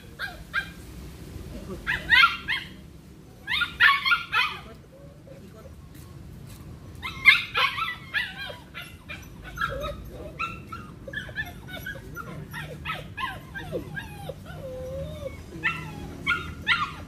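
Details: Belgian Malinois in a training session with cones, barking in quick irregular bursts, most densely in the first half, with a faint rising whine near the end and a low steady background murmur.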